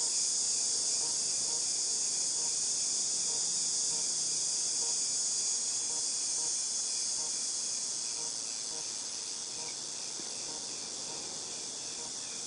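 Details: Cicadas, August 2018, keeping up an intense high sizzling drone that slowly fades in volume over the second half, accompanied by faint, evenly repeated chirps pulsing about four times a second.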